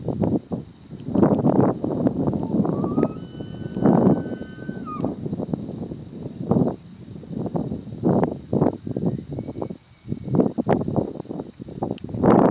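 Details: Bull tule elk courting cows, yearling calves among them, at San Luis National Wildlife Refuge on September 19, 2020: a high, thin whistled bugle with pitch steps, then a fainter whistle later, over heavy rumbling, thumping noise.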